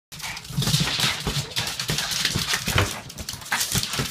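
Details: Two Boston Terriers tackle and bite at a ball much bigger than themselves, giving short, low vocal bursts and whimpery yips amid scuffling, broadband play noise.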